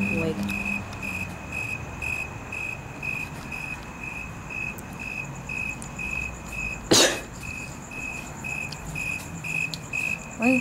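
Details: Steady, evenly spaced high chirps from a loud cricket near a house window continue throughout. A sharp click breaks in near the seven-second mark, over faint background rumble.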